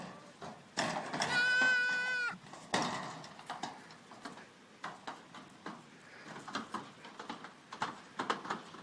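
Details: Goat kids playing in their pen give a loud, drawn-out, wavering bleat lasting about a second, followed by scattered knocks, rustling and thuds of movement.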